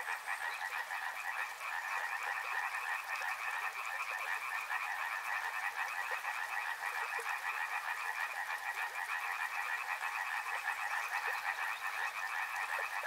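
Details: Frogs along a river: an unbroken, loud wall of rapid rattling croaks, many callers overlapping in pulsed trills at two pitches, with constant water hiss underneath.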